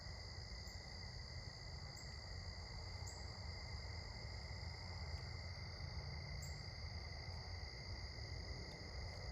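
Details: Chirping crickets at sunset during an evening walk, an even, continuous high ringing chorus with several short, sharp very high chirps breaking in every second or two, above a low rumble.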